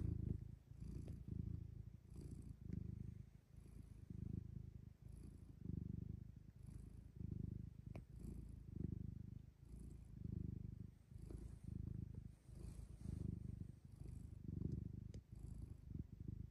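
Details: Friendly black domestic cat purring steadily: a low, soft, rumbling purr pulsing in regular cycles of roughly one second as it breathes in and out, quiet and close, with no other sounds.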